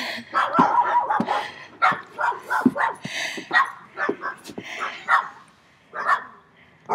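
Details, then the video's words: Three dogs barking very loudly, irregular rough barks spaced through the clip with overlapping calls and some background noise. "THREE DOGS BARKED VERY LOUD TO ME"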